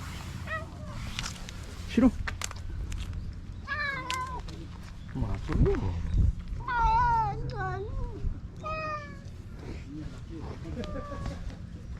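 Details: Stray cats at a fishing port, among them a white cat from the tetrapods, meowing as a fishing boat returns. Several short, rising-then-falling meows come in a loose series, with people talking nearby.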